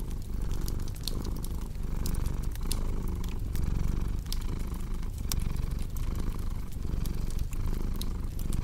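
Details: Over a cozy fire, a cat's low purring rumble keeps a regular breathing rhythm while bright crackles and snaps from the burning wood punctuate it throughout.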